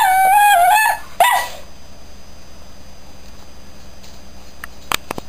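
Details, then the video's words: Shetland Sheepdog howling along to the start and end credits of the Coronation Street theme. A sustained high, even howl is followed by a short falling howl, then a faint steady hum with a few sharp clicks near the end. "DOG HOWLING TO CORONATION STREET"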